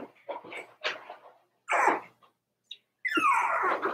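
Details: Four-week-old Cavalier King Charles Spaniel puppies in an indoor puppy pen: a few short squeaky yips and whines, a pause, then a longer whiny cry that slides downward.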